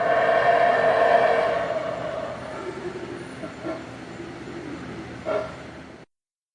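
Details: Howler monkeys roaring in a dense, harsh, rumbling chorus that is loudest over the first two seconds, then fades to a lower, gravelly drone with a short louder burst near the end.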